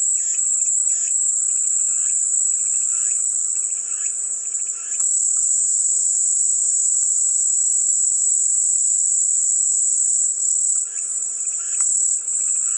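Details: Continuous sharp, high cicada drone holding steady throughout, with patches of softer pulsed chirping at the start and again near the end.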